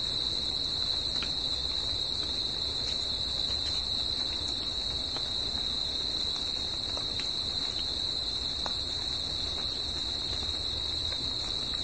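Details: Crickets sing at night in nature, a steady, high-pitched trilling chorus that never pauses.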